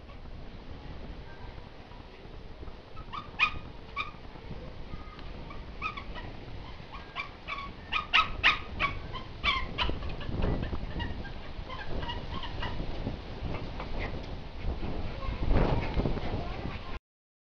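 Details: Young Labrador Retriever at home, trying to get past a ladder fence built to keep it from the gate, makes rapid, high, squeaky whimpers and yips in uneven clusters, loudest midway, with rustling and bumping noises throughout.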